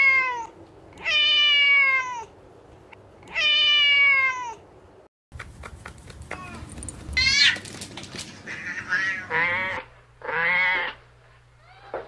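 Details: Kittens playing outside on garden grass, chasing each other: several long drawn-out meows with rich harmonics, the first three evenly spaced, then a cut to a busier stretch of shorter overlapping mews and clicks with low background hum.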